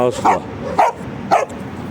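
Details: Dogo Argentino during an evening walk with street dogs about: three quick barks spaced roughly half a second apart, a human voice faintly underneath.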